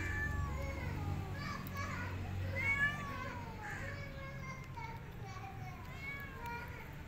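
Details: Feral cat, a mother weak after a miscarriage, with newborn kittens; a series of thin, high, wavering mews and short meows, several overlapping, over a low rumbling background and faint voices.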